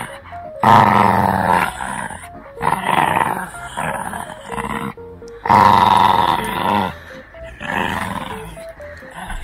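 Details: During tug play at home, a teething Shih Tzu puppy lets out repeated snarling growls in bursts of one to two seconds. A simple stepped melody plays softly underneath.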